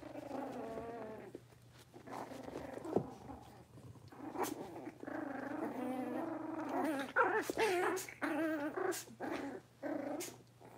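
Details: A litter of five blenheim Cavalier King Charles Spaniel puppies, Theo, Minnie, Vienna, Rio and Enzo, in their new big pen. Continuous low, wavering growls and grumbles overlap, rising into louder, rougher bursts with sharp knocks near the end.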